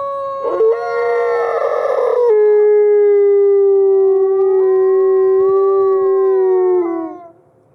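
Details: Captive-born gray wolves Alawa and Nikai at the Wolf Conservation Center in South Salem, New York, howling together to reaffirm social bonds; a rough, noisy onset gives way to a long, steady, slightly wavering tone that falls away at the end.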